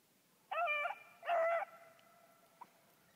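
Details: Four-month-old female Bluetick Beagle pup out rabbit hunting; two drawn-out, harmonic baying notes, each about half a second long, a short gap apart, then a faint brief yip; quiet background otherwise.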